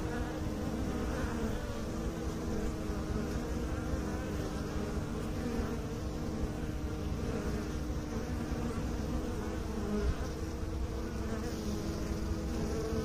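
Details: Bees from a beekeeping setting producing an unbroken low buzz, several steady hum tones layered in the drone, the level barely changing throughout.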